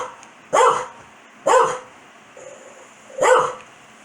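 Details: Pet Corgi Foxy gets mad when her owner sneezes, giving three loud separate barks spaced about a second apart with a brief soft whine between them, in a quiet room.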